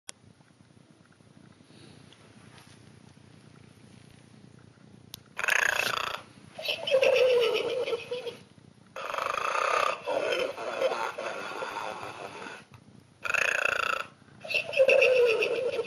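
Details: A sleeping pig, given as a birthday present, snoring after five quiet seconds: loud, rough breathing bursts alternate in and out, each a second or two long, with short silent gaps between.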